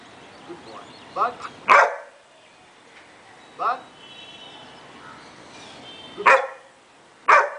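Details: Scooby the Great Dane barks on command in a training session, a trainer repeatedly saying "bark" and praising him; several sharp, short barks answer between the spoken commands, with a low steady hum in the background.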